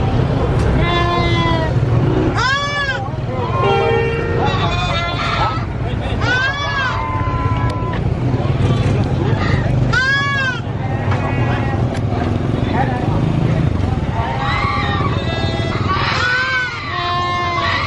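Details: Baby goat screaming on a farm: loud, harsh, arching bleats with rich harmonics, repeated roughly every one to two seconds, several calls overlapping, over a steady low engine-like rumble.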